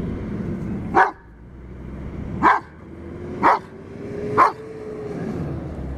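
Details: Giant Schnauzer puppy barking at a metal moose, giving four short punchy barks about a second apart over a steady low hum and a faint rising tone.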